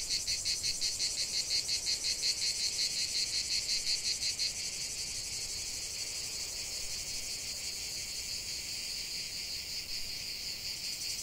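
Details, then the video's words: Cicada song in nature: a high buzzing drone pulsing quickly and regularly for the first four seconds, then smoothing into a steadier continuous hiss-like buzz. "45 min de chant des cigales"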